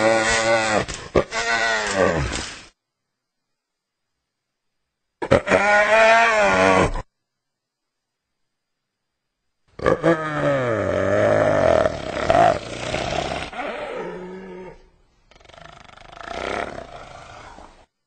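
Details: Hyena calls in several bouts: rapid chattering cackles, then long, falling, harmonic whooping moans that swoop downward, followed by a rougher, noisier tail of grunts.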